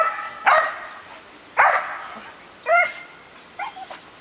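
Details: Excited female dog reacting to a hose sprayer during watering: four separated barks, the first two harsh and noisy, the later ones higher and more whining, about one per second.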